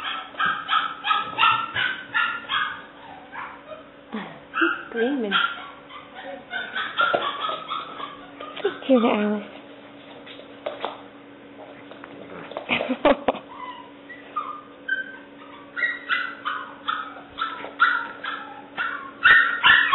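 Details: Tricolor female English Springer Spaniel puppy, seven weeks old, barking in quick squeaky runs, then a lull with softer whines and a human voice, before the rapid yapping resumes.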